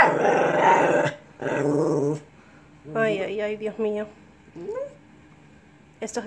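A Lhasa Apso makes growly, talking-like vocalizations with rising and falling whines between human speech.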